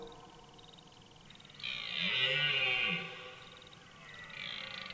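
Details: Red deer stag roaring in a forest during the autumn rut: one hoarse, powerful drawn-out bellow lasting over a second, rich in harmonics, with a steady background hiss and faint bird chirps.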